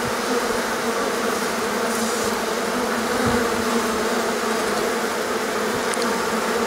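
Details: Mass buzzing of a honey bee colony swarming on a warm day that followed a long rainy, cold period; steady layered hum of many wings, with a brief soft thump midway.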